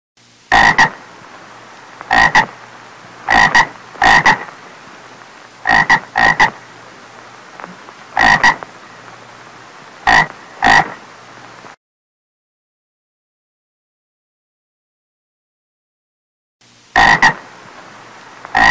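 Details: A small frog gives loud, short "ộp ộp" croaks in pairs and singles, spaced irregularly a second or two apart.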